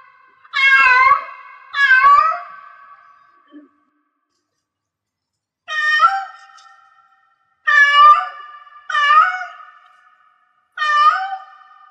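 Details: Cat in heat: two strong, sweeping meows close together, a pause of over two seconds, then four more wavering calls at uneven intervals, each with a slight ringing tail.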